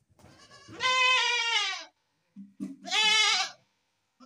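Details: Goat letting out two drawn-out, trembling bleats, the first over a second long, with soft rustling and low knocks before and between them.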